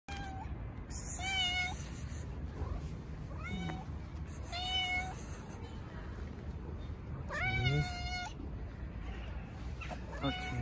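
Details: Stray cats, including a tuxedo cat, gather around a volunteer feeder being petted in a park, likely Istanbul. Harmonic meows sound four times, the loudest a long flat meow near eight seconds, over steady low rumbling background noise.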